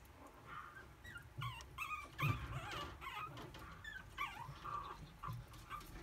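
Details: Puppy with white and red colouring, filmed on 27 May for a breeder listing, gives thin, high whimpering squeaks in short wavering bursts, some sliding up and down, scattered across a faint steady background hum.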